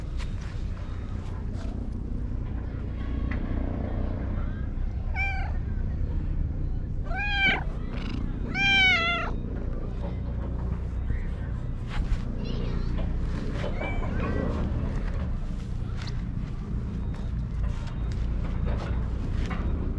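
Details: Cat in a park meowing while purring: a run of short, wavering, rising-falling meows clustered between five and nine seconds, then softer sounds, over steady low rumbling outdoor noise.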